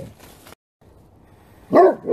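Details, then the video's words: Great Pyrenees, several dogs joining in to bark at full volume: a short hush, then one loud, low, full-bodied bark, with the start of the next bark cut off at the end. "グレートピレニーズ 犬 鳴き声 みんなで全力で吠える Funny Dog Great Pyrenees Bark"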